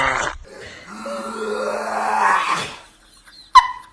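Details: A dog making a strange noise: a long, rising, strained whine-growl lasting about two seconds after a short opening sound, ending with a sharp click.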